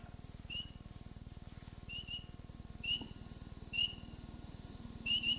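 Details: A spring peeper, one of the first frogs to call in spring in Ohio, gives clear, high, upslurred peeps, about one a second and sometimes doubled, over a low mechanical hum.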